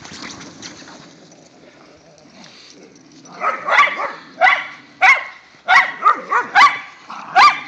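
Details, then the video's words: Whippets and a rat terrier romping in the first light snow of the season; after a quiet stretch with faint voices, a dog fires off about eight sharp, bright barks in quick succession. "snow day for whippets"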